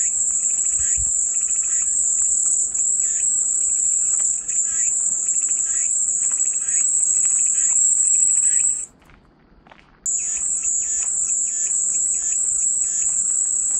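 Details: Cicada song, a loud shrill continuous buzz with a rapid pulsing texture, breaking off abruptly for about a second before resuming at full strength.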